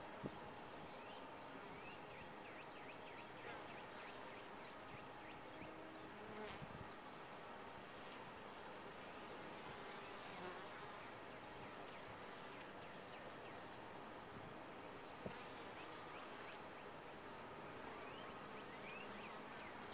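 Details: Steady, thick droning of a honey bee colony housed in a top-bar hive, with many passing wingbeat whines arcing over the constant hum and a few sharp ticks.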